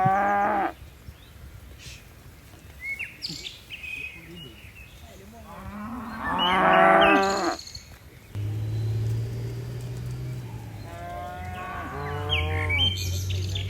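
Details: Tame cattle, dozens of them, leaping nimbly down a mountain hillside. A drawn-out, harmonic-rich moo rises near the middle, and softer lowing follows toward the end, over bird chirps and a steady low rumble.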